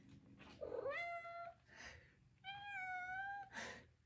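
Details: A 5-month-old female Maine Coon kitten (Felis catus) gives two drawn-out, tonal meows with a slight rising start between soft chirpy trills, around feeding time while possibly hungry.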